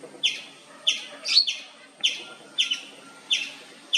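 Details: An Indian palm squirrel, also called the three-striped palm squirrel, chirps nonstop for minutes, giving sharp, high chirps about every two-thirds of a second.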